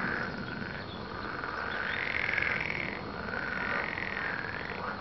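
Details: Massed frog croaks form a rhythmic, rattling chorus. The sound swells loudest in the middle before easing slightly.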